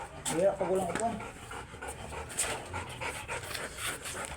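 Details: Oversize chocolate Labrador Retriever during a stud session at Rosales, Pangasinan: rapid, breathy panting bursts in quick succession, with a person speaking briefly at the start.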